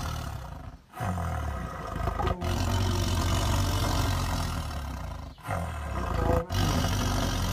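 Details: Tiger giving long, low, growling roars that fill the whole stretch, broken by short sharp gaps near 1, 2.4, 5.4 and 6.5 seconds.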